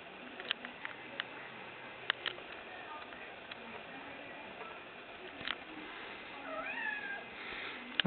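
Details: Young female kitten at home playing fetch, meowing to ask for her ball to be thrown; quiet soft taps and clicks, then one drawn-out, bending meow near the end, followed by a brief rustle.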